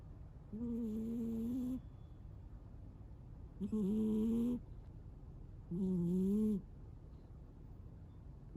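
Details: Munchkin cat named Amir snoring loudly while asleep: three drawn-out, tonal, slightly wavering snores, each about one second long, repeating roughly every two and a half seconds over a quiet indoor background.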